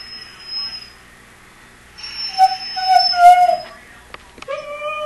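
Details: Pet dog whining with excitement as its owner puts on running shoes, wanting to go for a run; thin, high whistled whines held steady, then sliding downward, with the owner's voice and faint clicks in a quiet room.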